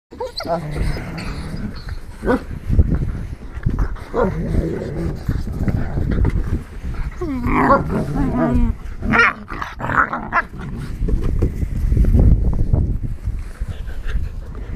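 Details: Three black and tan American Tundra Shepherd puppies, 9 1/2 weeks old and teething, play outdoors. Low rumbling growls run throughout, with a few short whining yips near the middle and scattered thumps.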